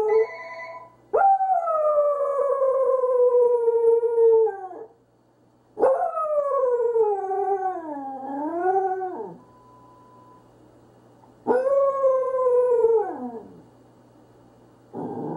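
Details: Corgi described as confused, howling in three long drawn-out bursts of about three to four seconds each, the tone sliding slowly downward, the middle howl dipping and rising again before fading; a brief steady electronic tone and low hum between howls.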